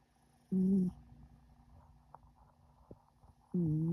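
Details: Sleeping cat snoring, a sign of ultimate comfort and security: two low, droning, buzzy snores, each under half a second, spaced about three seconds apart with quiet breathing between.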